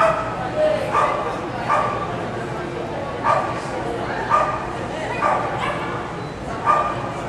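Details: Dog barking at an AKC agility trial in Winchester, Virginia, July 2010: sharp, short barks repeated roughly every second, mixed with steady crowd chatter and voices throughout.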